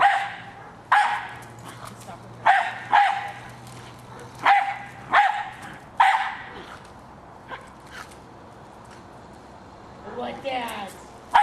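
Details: Hali, a pet Jack Russell Terrier, attacking a remote-controlled toy car: sharp, loud barks in spaced bursts, some in quick pairs, about six in eleven seconds, with a faint background hum and a brief higher rasping noise near the end.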